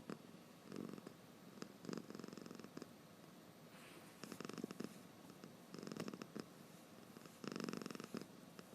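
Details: A drowsy domestic cat, eyes open, snoring in rough, purring-like rattles; loud breathy bursts alternate with quieter stretches across nearly nine seconds, indoors, nothing else audible.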